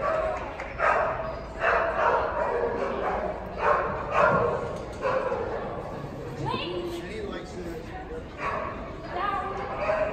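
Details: Link, an Icelandic Sheepdog, on a Masters agility run, barking in short broadband bursts roughly once a second, some sharp yips among them, while a handler's voice talks and calls over the run.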